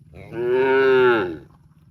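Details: A cow in a park gives a single sustained moo lasting about a second, steady in pitch with a rich nasal tone and a soft fall at the end, over a faint low hum.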